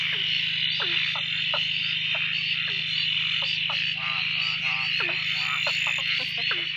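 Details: A frog chorus at night at a dam near Drake, heard after days of steady rain ended the frogs' silence: many overlapping, short upswept and pulsed calls over a steady high buzzing drone, almost deafening.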